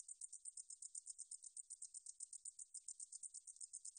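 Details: Short stretch of meadow katydid song (National Institute of Biological Resources, 2020): shrill, ticking pulses run together into a fast, high, unbroken trill, nothing else audible.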